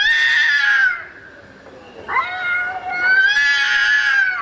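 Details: Domestic cat calling for a mate at night with two long, moaning meows, the first falling away, the second swelling and held for about one and a half seconds, separated by a quiet dip.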